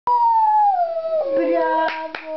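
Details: Lhasa Apso Shih Tzu dog giving a single drawn-out tonal howl that starts high and slides steadily lower, ending with a wavering, broken tail and a few sharp clicks.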